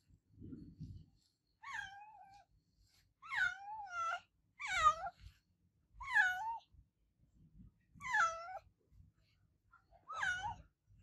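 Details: Adopted pet cat named Olevia meowing loudly: six drawn-out, wavering meows, each rising then falling, repeated roughly every one and a half seconds, with faint low thumps between calls.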